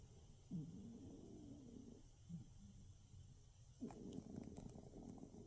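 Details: A sleeping cat in darkness gives raspy, breathy snores, low and rough. Three drawn-out breaths are separated by quiet pauses, with faint ticking noise near the end.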